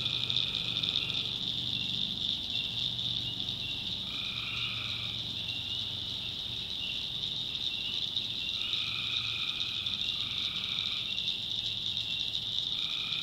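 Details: Tree frogs in a swampy North Carolina backwoods at night: a continuous high, ringing chorus with short buzzy trills of about a second, some in close pairs, spaced a few seconds apart, plus a faint low hum.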